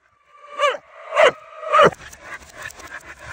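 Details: Corgi and husky barking loudly: three tonal, harmonic barks that arch up and fall, about half a second apart, followed by rustling and scuffling noise.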